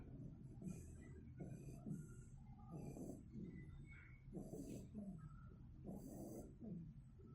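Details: Sleeping two-month-old Shiba Inu puppy snores in steady low rasping pulses, roughly one breath every second or so, each with a soft snorting edge and faint airy hiss.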